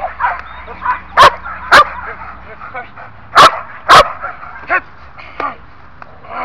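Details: Belgian Malinois in training at one year of age barks in two pairs of harsh, forceful barks, followed by softer yips, while a person speaks in the background.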